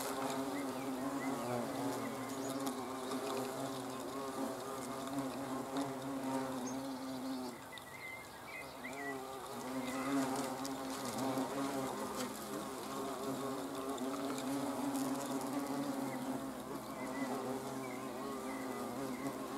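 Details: Hornets observed on camera on 30 June 2020, giving a steady, low droning buzz of several overlapping wingbeats that waver and swell around 10 seconds, with faint thin chirps higher up.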